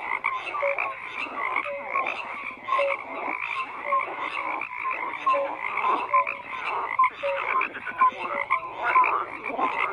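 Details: Many frogs croak together in a continuous chorus, with rasping pulsed calls and brief clear tonal notes repeating roughly every second over a dense, buzzy backdrop.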